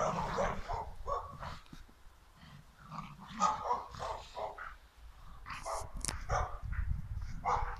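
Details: Staffordshire Bull Terrier mother and son playing in the snow give short, gruff barks and growls in rough, irregular bursts.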